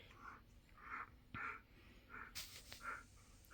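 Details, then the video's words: Keesha, a female husky, roos in a series of short, mid-pitched, rounded vocal bursts about every half second, with a brief sharp click partway through and quiet room sound around them. "Husky Very Vocal!"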